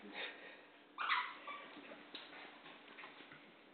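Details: Sasha, an American Eskimo, and Penny, a Golden Retriever, playing together; a brief burst of thin, high whimpering with a sharper yelp about one second in, then softer fading whines and faint speech.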